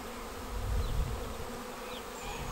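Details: Honeybee swarm entering a bait hive swarm trap on 19 May; continuous low buzzing of the mass of bees, a deep rumble near the start, and a few thin whines of single bees flying past.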